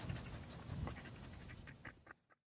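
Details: Domestic dog panting during a lesson on safely meeting a dog: soft, breathy low puffs in quick irregular bursts, then a few sharper higher puffs before the sound cuts to silence.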